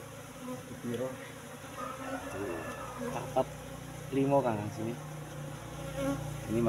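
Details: Asian honey bee colony kept in a cultivation hive box, brought from the forest about three months earlier, opened during honey harvest; a steady low hum runs throughout, with speaking voices cutting in and out over it.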